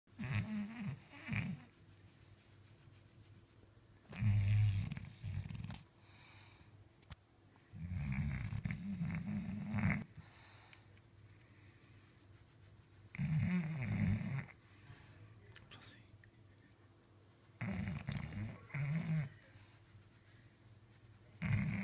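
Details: Blossom, a 10-year-old British Bulldog and heavy sleeper, snoring while asleep: deep rasping snores come in bursts of one to two seconds, roughly every four to five seconds, with quiet breathing between.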